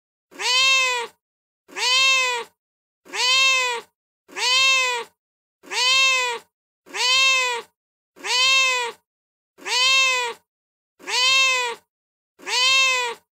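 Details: Real street cat, met at night on stairs and brought up to a terrace for food, meowing in a regular series: ten even, arched meows, each about a second long, repeated roughly every 1.3 seconds with silence between.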